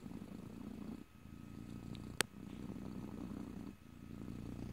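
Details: A pet cat purring near the microphone in stereo, no voices: low rumbling purr in breath-length bursts with brief quiet dips at one second and near four seconds, plus a sharp click just past two seconds.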